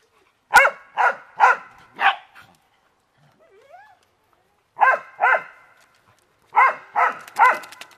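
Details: Several beagles and dachshunds having fun in water give clipped, repeated barks in runs of three or four, with a brief quiet gap holding a soft rising whine before barking resumes.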